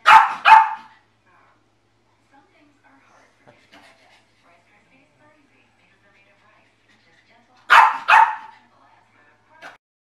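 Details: Pet dog showing it dislikes the dish its food is served on: a quick pair of sharp, loud barks at the start, several seconds of near silence, then another double bark and one fainter yip near the end.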